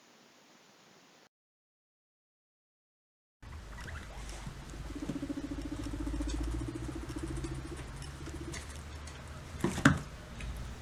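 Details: A guinea pig gives a fast, low, vibrating rumble, with a sharp click of chattering teeth near the end. A faster rumble with chattering teeth comes with bristled fur and an uneasy hindquarter.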